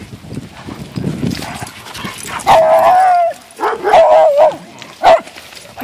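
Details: Weimaraner at a dog park, playing with other dogs: a drawn-out yelping bark followed by two shorter wavering barks and a final brief yip, with soft background chatter before them.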